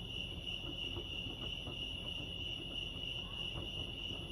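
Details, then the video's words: A short stretch of crickets at Lake Arrowhead, California: a shrill, even trill sustained without pause, set against muffled low background noise. "Serenity sounds crickets chirping lake arrowhead"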